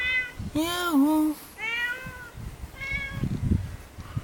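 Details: Hungry cat in a neighbourhood alley of Jeonju, North Jeolla Province, Korea, begging for food: three clear meows, the second long and wavering, then a shorter, higher one, with faint background voices.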